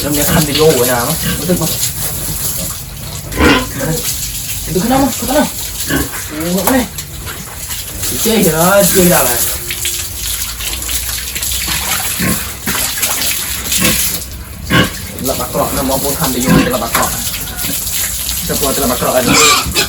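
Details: Farm pigs at morning feeding and pen-cleaning time in a village setting, letting out rising and falling squeals and grunts in scattered bursts, with running water and splashing throughout and occasional clatter.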